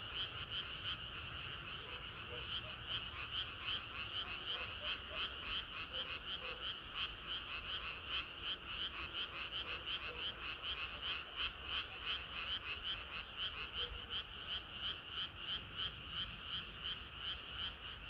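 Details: A dense frog chorus on a hot summer night, rapid overlapping croaks pulsing steadily without pause.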